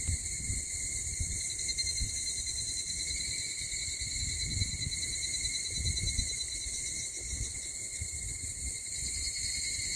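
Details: Early-morning cicada chorus at 04:50 on 6 August in Mihama, Fukui Prefecture, Japan: an unbroken, high, shimmering drone of bright stacked tones that hold steady, over a soft low rumble of wind or background noise.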